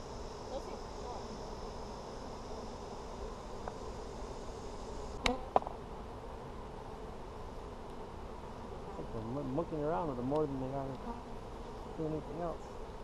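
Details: Honey bee hive inspection in an Apimaye hive, July 23, 2020: a soft steady hum, a couple of sharp knocks, then a loud wavering buzz of a bee circling close for a few seconds.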